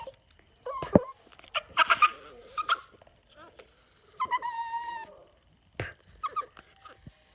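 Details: Yorkshire Terrier indoors, annoyed by air blown in his face, giving whiny, wavering vocalisations: a sustained tonal whine near the end of the middle, with scattered clicks, taps and short bursts around it.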